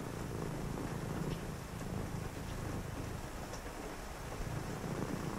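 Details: Low, even cat purr heard on a rainy night, a throaty rumbling hum that dips briefly and resumes, beneath steady rain hiss and a few faint ticks.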